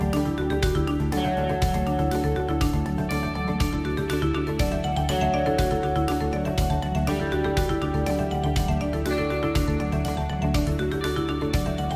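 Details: Upbeat instrumental music with steady percussion plays throughout, with no animal sound.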